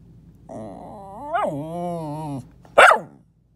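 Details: Dog talking under a bed: a drawn-out harmonic moan that rises, dips and levels into a low groaning tone for about two seconds, followed by one loud sharp bark.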